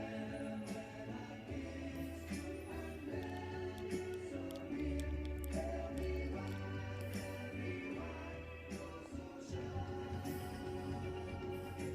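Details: Choral music with layered voices and a steady low bass fills the whole stretch.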